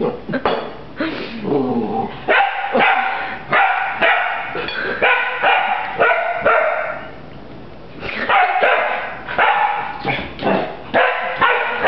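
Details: Rafiki, a puppy battling a broom, lets out dense strings of shrill, rasping barks with brief gaps, then a fresh flurry near the end. Voices cheer in the background.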